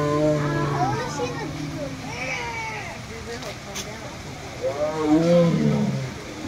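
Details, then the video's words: A female tiger at Fresno Chaffee Zoo in 2007, after the zoo had closed to the public, gives deep, drawn-out moaning roars after drinking, eating and pacing, while people talk nearby. "Tiger Roars at Fresno Chaffee Zoo"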